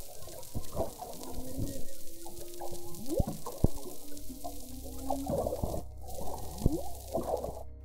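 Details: Several different humpback whale calls, recorded from a boat at the mouth of a bay: low moans, rising and falling sweeps, and brief upsweeps, with waves slapping the boat's side.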